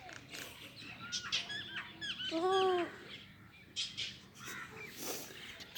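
A young goat gives a high, wavering bleat that rises and falls, with fainter bleats around it.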